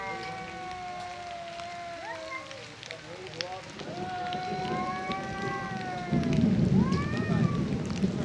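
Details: Two male cats fighting over territory and breeding, trading long drawn-out harmonic yowls that waver and bend, voices overlapping, over steady rain-like outdoor noise that grows louder near the end.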